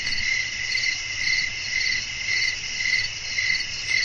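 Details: Chirping crickets on a night with blowing wind: bright, high trills swell in regular beats about every half second, over a steady upper hiss and a quiet low rumble.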